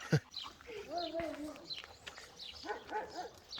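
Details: Village dogs in rural Turkey barking from both sides at a visiting dog; a drawn-out whining howl early, then a quick run of short barks near the end, with a sharp knock at the start.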